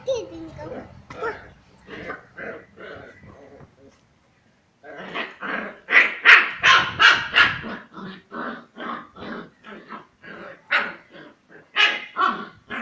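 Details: Female Kombai puppy Kanmani playing aggressively with other puppies: a long run of short, sharp barks and yaps repeated almost three times a second, pausing briefly near the middle, with a person's voice early on.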